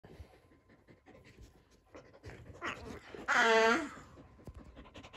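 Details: Sully the Boston Terrier, a pet dog, plays with his brother Kumo the Keeshond indoors and makes silly sounds: soft panting, then one drawn-out, harmonic, whining squeal lasting about half a second.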